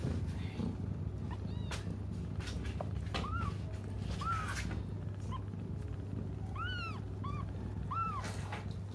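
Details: Cats crying until their mother comes; after a few seconds of noisy rustling and clicks, repeated short arching mews arrive in twos and threes, over a steady low hum.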